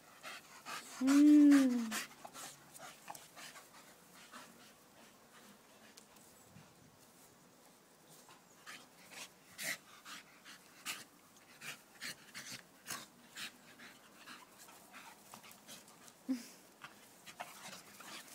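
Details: Staffordshire Bull Terrier, one of several staffies, gives one loud, sustained tonal whine lasting about a second early on, then quiet clicks, soft breathing and faint rustling fill the rest.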